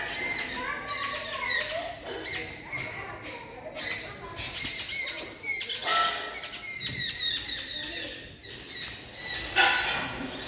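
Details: Kali the cat crackles at birds, a fast broken series of high, clicking, chirpy chatter bursts with stacked harmonics, coming in waves every second or so for the whole stretch.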